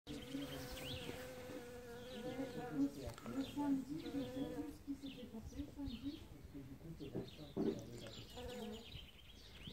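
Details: Bee collecting pollen in early spring as the first flowers open; a continuous low droning buzz with wavering pitch, rising and dipping as it moves among blossoms, with faint high chirps in the background.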